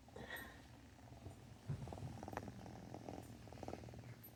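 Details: Brief indoor purring from Rum the cat: a soft, low pulsing rumble, with a few short louder low thumps in the middle and faint higher clicks.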